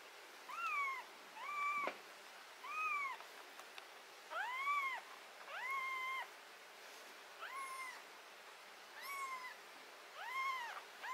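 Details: Domestic cat having botfly larva, ringworm, fungus and blackheads treated on its skin. It gives eight short, arched meows, each rising then falling, spaced about every second or so, against a quiet indoor background.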